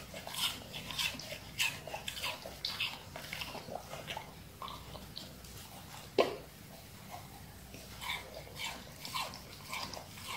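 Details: Siberian Husky eating watermelon indoors: wet, crunchy bites and smacking chews in irregular bursts, with one louder crunch near the middle and a faint room hush underneath.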